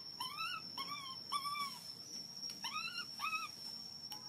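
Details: Hungry baby monkey crying loudly for milk: a run of arched, whistle-like wails, each rising then falling, about two per second with a short gap midway, over a steady thin high whine.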